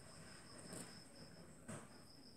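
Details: Click beetle, family Elateridae, making its click: two sharp, brief broadband snaps about a second apart over a faint steady high whine and low background rumble.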